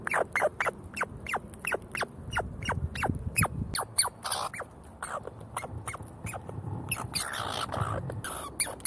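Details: Squabbling squirrels quarrel over seeds, giving rapid series of thin, high, downward-sliding squeaks, several per second, with brief pauses and scratchy scuffling noises underneath.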